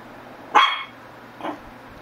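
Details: One loud, clipped Shih Tzu bark followed a second later by a softer, shorter yip, against a quiet humming background.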